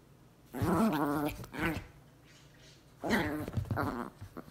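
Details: Chihuahuas fighting indoors: two loud bursts of harsh, harmonic snarling growls. The first lasts about a second and is followed by a short snap, then a second snarl breaks into choppy yelps, with quiet room noise in between.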